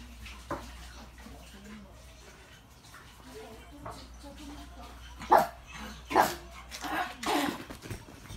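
A pug lets out a few sharp, impatient barks while waiting for food, after a quieter start.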